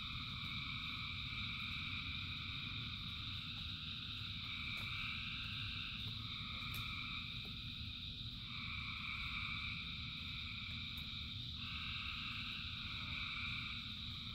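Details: A large frog chorus during rain: steady overlapping trills in stacked pitch bands, with segments that start and stop every few seconds, a few sharp clicks, and heavy rain noise underneath.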